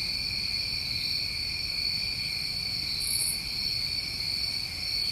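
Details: New England summer crickets calling at night in a dense, even, ringing trill that never pauses, with a single quick high buzz shortly after three seconds over soft low background noise.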